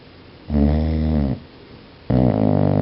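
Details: A sleeping dog snores in two long, deep, rasping breaths, each nearly a second long with a rich droning buzz, separated by a quiet pause, indoors.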